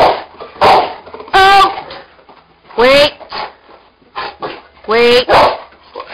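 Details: Two Cane Corsos at play on an indoor springpole give three loud, tonal, yowling barks spaced a second or two apart, with softer grunts and scuffling between and a person's voice nearby.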